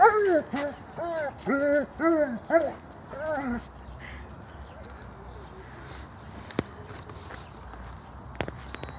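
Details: German Shepherd giving a quick run of about six tonal, arching barks over roughly three and a half seconds, each bark rising then falling in pitch. Quiet follows, with a few sharp clicks and faint rustling.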